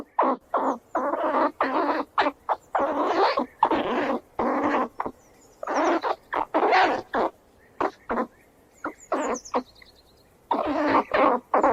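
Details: Squirrels squealing while they run around: harsh, noisy bursts come in quick irregular runs, each lasting a fraction of a second and separated by short silences. Faint high thin whistles sound in the background.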